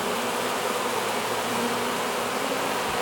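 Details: Hived honey bee swarm streaming into its new hive, giving an even, unbroken buzzing drone that holds level throughout with layered low hum.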